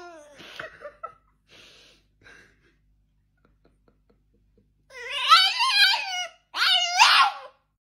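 A French Bulldog puppy gives two long, wavering, yowling whines after a few soft vocal sounds.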